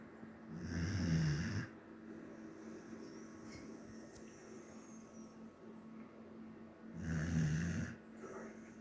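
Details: Samoyed snoring in its sleep: two deep, rasping snores roughly six seconds apart, each about a second long, separated by quiet breathing.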